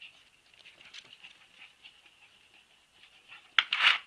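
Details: Husky puppies whine softly in a wavering high tone, then break into a sudden loud squealing cry in the final half second, close and indoors-sounding.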